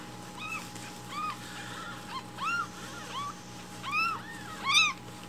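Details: Rescued baby kittens meow loudly in the morning, demanding their breakfast milk. Short arched, high meows repeat roughly every half second to second, several overlapping and growing louder toward the end.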